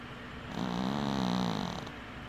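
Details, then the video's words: Sleeping house cat snoring with one eye open, producing a single drawn-out raspy snore with a steady low droning tone, swelling then fading over about a second. "Snoring cat"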